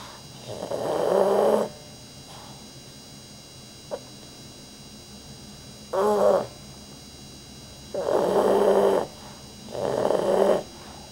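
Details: Sleeping pet dog named Rudy snoring louder than most humans, with long grating breaths roughly every two seconds, a brief sharp click between them, and a shorter rattling snort midway.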